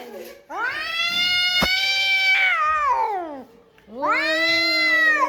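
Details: Cat talking back in an argument with another cat: a long, rising, then sustained yowl that slides down, a pause, then a second shorter wail rising again.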